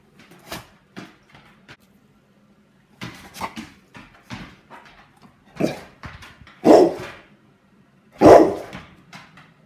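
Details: Pet dog reacting angrily to a fidget spinner indoors: scattered short yips and whimpers building to two loud, harsh barks near the end, separated by quiet gaps with a faint low hum behind.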